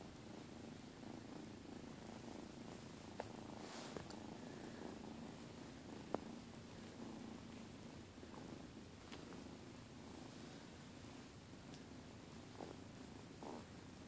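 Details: Purring from pet cats Herman, Zima and Schrodinger as they lie on the bed. A faint, steady low drone runs throughout, broken only by a few quiet clicks and rustles.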